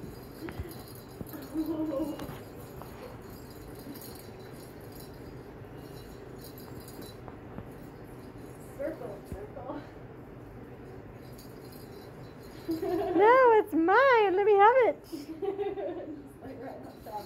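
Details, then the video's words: Three Soft Coated Wheaten Terrier puppies from Rose, Babe and Ranger's litters playing indoors with a cat toy: faint soft whimpers early, then a burst of high, wavering yelps and squeals rising and falling quickly near the end, with light rattling of the toy. "soft coated wheaten terrier puppies playing"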